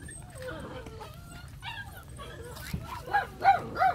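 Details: A friendly 2.5-month-old brindle female Phu Quoc Ridgeback puppy gives high, wavering whines and yips, ending in three short, sharp barks about a third of a second apart.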